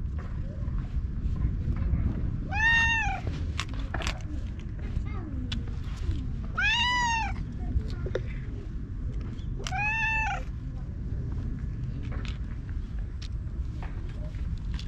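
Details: A stray orange tabby rubs against a person and is groomed with a cat brush, filmed on a GoPro HERO8. Three rising-then-falling meows arrive roughly every three to four seconds over steady low background rumble and faint rustling.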